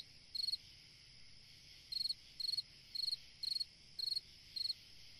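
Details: Cricket chirping through a summer night: a single chirp, a brief gap, then six rapid, evenly timed high trilled pulses, set against a steady hiss of distant insects.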